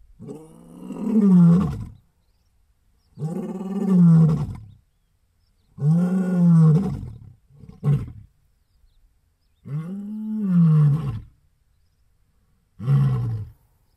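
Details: Male southern lion roaring in a steady series of six low, resonant groaning roars, each one to two seconds long, with gaps of about one to two seconds and a short clipped grunt mid-sequence.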